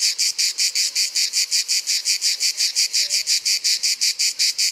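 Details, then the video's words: An Orni cicada from Provence gives a harsh, high, pulsed buzz, each rasping burst evenly spaced and repeated rapidly without pause. A faint background murmur sits underneath. "La Cigale de l'Orne"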